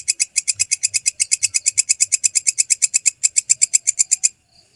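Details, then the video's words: Belalang kecek, the walang kecek grasshopper, in a clean recording: fast, rhythmic bursts of bright, rasping ticks, roughly eight to nine per second, that stop abruptly near the end, followed by quiet. "MASTERAN BELALANG KECEK SUARA JERNIH"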